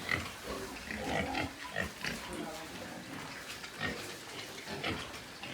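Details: White pigs on a pig farm in Nepal, giving short squeals and rough grunts in quick bursts, with people talking nearby.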